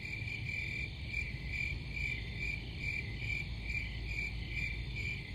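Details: Cricket chorus with high, pulsing chirps swelling roughly once a second, layered over a steady shrill drone and a low rumbling background.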